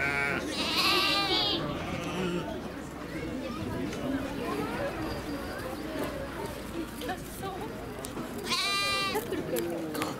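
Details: Lamb of domestic sheep at Nasu Animal Kingdom, Tochigi, Japan, on 29 April 2018; two short nasal bleats near the start and end, separated by a long stretch of busy background crowd noise and voices.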